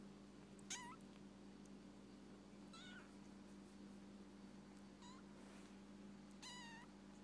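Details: A very healthy rescued baby kitten gives four short, high-pitched meows spread over about seven seconds, each bending downward at the end, against a steady low electrical hum indoors.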